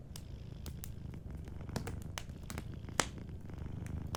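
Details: Sleeping cat's soft purr beside a warm fire: a dense low vibrating rumble fills the clip, with light fire crackles scattered over it and one sharper snap near the middle.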